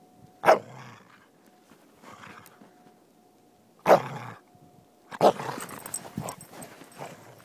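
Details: Soft Coated Wheaten Terrier playing in winter snow with a stick: sharp single barks roughly three seconds apart, then a longer rough burst with growling noises and crunching movement.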